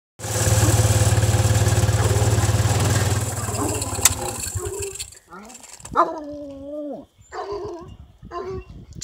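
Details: A male Redbone Coonhound, sire of an upcoming litter, bays in long, drawn-out, sliding notes with his head thrown back after a loud engine rumble fades.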